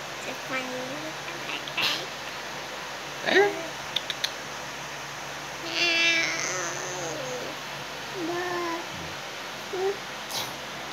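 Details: Persian x Siamese cat meowing indoors in a small room: several short, wavering meows spread across the clip, one longer rising-and-falling cry in the middle, with faint clicks and a steady low hum behind.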